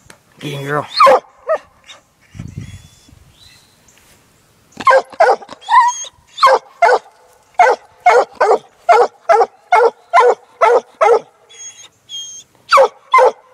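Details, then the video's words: Six-month-old female Black and Tan Coonhound trailing a laid coon scent, a few early barks and a brief pause, then a steady chop of sharp barks repeated roughly twice a second. "Black n tan coon hound working coon trail"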